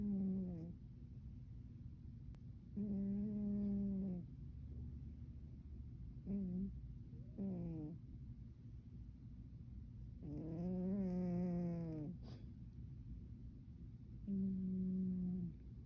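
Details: Sleeping cat snoring loudly: five tonal, nasal snores of uneven length, each about one to two seconds, with quiet gaps of several seconds between them.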